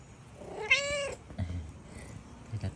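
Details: A tabby cat lets out a single bright, slightly strained meow, followed by faint thuds and handling noises.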